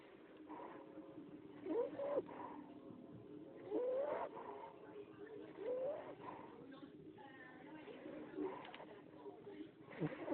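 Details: Ollie, a 10-week-old English Bulldog puppy weighing about 15 lbs, snoring in his sleep: short squeaky whistled notes rising in pitch on each breath, about every two seconds, over a steady breathy rumble.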